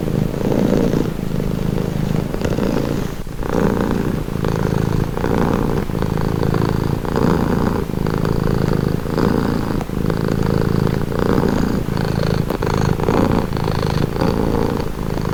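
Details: Continuous cat purr, calming and relaxing: a deep, even rumble pulsing in regular breath cycles about every one and a half seconds, recorded close up and free of other noises.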